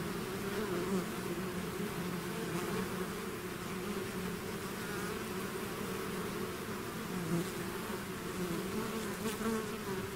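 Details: Natural buzzing of a bees swarm out of its hive, a dense unbroken drone with shifting hum tones and small surges as single insects pass near.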